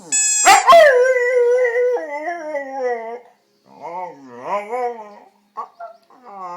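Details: A domestic dog making a strange, crazy noise: a sharp burst, then a long harmonic howl that steps downward in pitch, pauses, and resumes as wavering, rising-and-falling whines and short yelps.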